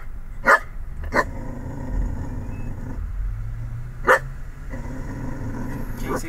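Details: Pet dog barking and growling at the Chick-fil-A cow mascot: three sharp barks, two close together then one more about three seconds later, over a steady engine-like rumble and a woman's voice talking to the dog.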